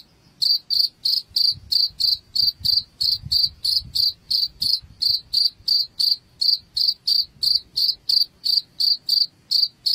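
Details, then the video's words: Steady cricket chirping meant to scare rats away indoors: short, sharp, high-pitched pulses repeated evenly about three times a second for the whole stretch, with no other sounds. "SUARA JANGKRIK Pengusir Tikus AMPUH UNTUK Mengusir TiKUS di Rumah"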